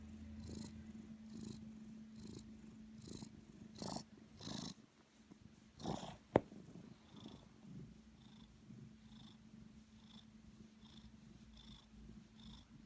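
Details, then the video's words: Snoring black cat giving regular airy rasps about once a second over a low steady hum, broken by a louder snort near the middle and a sharp click. "Snoring kitty"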